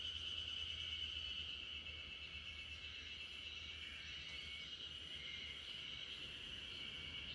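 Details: Backyard chorus of spring cicadas lulling a Great Pyrenees dog to sleep: a continuous piercing high whine with slight pulsing texture, many insects blending into one sustained band, soft low hum in the background.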